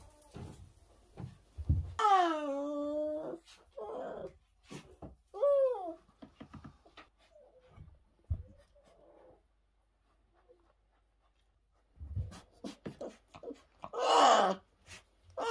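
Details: Young orphan brown bear cubs rescued in 2023 after losing their mothers: a long falling harmonic whine, a shorter sliding cry, and a later rough squall, amid frequent clicks, taps and handling noises indoors.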